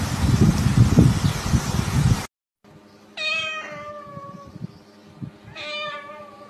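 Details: Domestic cat in a funny cat compilation giving two clear, drawn-out meows about two seconds apart, each with a bright harmonic tone that falls slightly, after an opening burst of loud low rumbling noise and a brief silence.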